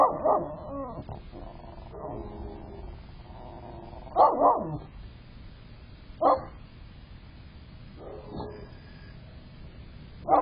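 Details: Pet dog barking at a friend, caught on a critter camera on a December morning: short harsh barks in irregular bursts, a loud pair near the start and single sharp barks spaced a couple of seconds apart, over low steady background hum.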